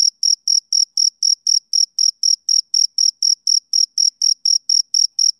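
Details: Summer-evening chirping from a male cricket: bright, piercing pulses repeated around four times a second in a tight, metronomic series, with a clean silent background.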